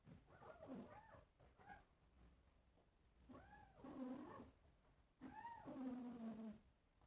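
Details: Cats calling at a mirror, three drawn-out meows with rising then falling tone, each stretching into a lower wavering moan, separated by short quiet gaps.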